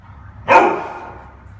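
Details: Pet dog, excited and playful over treats it is given at home, gives a single sharp, loud bark that rings briefly and fades over a low steady background hum.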